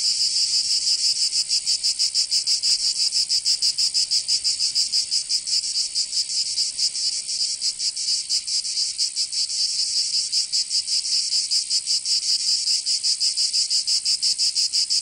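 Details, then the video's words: Provençal summer cicadas in southern France produce an intense, high, metallic buzzing, rapidly throbbing around three pulses per second, slightly uneven in strength, steady and dense with nothing else audible. "Canto Cigarra 🦗 [ Escuchar les cigarras en verano 10 H]"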